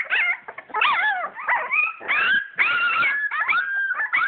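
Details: Purebred English Springer Spaniel puppies, born 22 July 2012, at play indoors: overlapping high, whistly whines that rise and fall in pitch, several puppies crying at once with short gaps between bursts.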